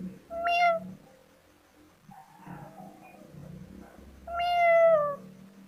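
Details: Young cat gives a short meow then, after a quieter pause with murmuring background, a longer clear meow that slides gently down in pitch.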